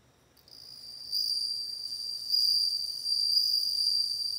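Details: Bell cricket singing: a steady, pure high trill with bright overtones that begins faintly after a short silence, strengthens at about one second and holds at full volume to the end.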